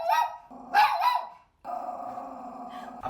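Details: Mayo, a pet dog that barks and bites at outsiders coming in, barks at visitors during a May home training session. A quick burst of sharp barks fills the first second, then a steady low hum follows.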